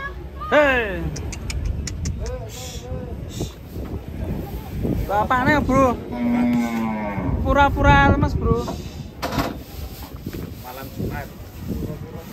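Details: Giant cattle being loaded onto a truck in Indonesia; deep drawn-out moos, one long steady low bellow in the middle, amid clattering, voices and background music.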